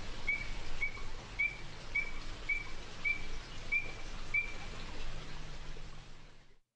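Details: Illinois Chorus Frog of Arkansas, where it lives only in the top northeastern corner, played during a talk: eight short, clear, upslurred whistled peeps spaced roughly 0.6 seconds apart over a steady background hiss.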